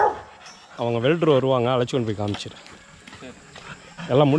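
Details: Young Rottweilers in their kennel's exercise yard. A quavering, wobbling cry lasts about two seconds, a short break follows, then another wavering call starts near the end.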